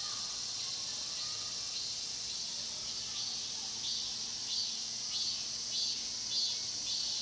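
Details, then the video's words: Shrill, continuous cicada drone in Cheongsong's Mokgye pine grove, Korea, captured with a Panasonic LUMIX GX9; in the second half, rhythmic louder buzzy pulses emerge roughly every 0.6 seconds over the steady chorus. "청송 목계솔밭 매미소리' cicada sound"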